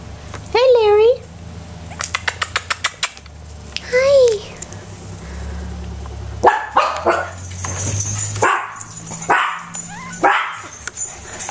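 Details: Puppies playing with a toy in their pen: a high, wavering whine twice, a quick series of short sharp yips, then people talking over the dogs with a steady low hum behind.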